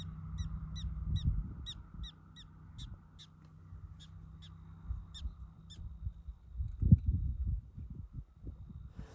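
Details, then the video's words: Prairie dog in South Dakota's Wind Cave National Park giving its chirping bark: sharp, high squeaky chirps repeated about twice a second, spacing out toward the end, over low wind rumble. "That chirping sound is a prairie dog bark."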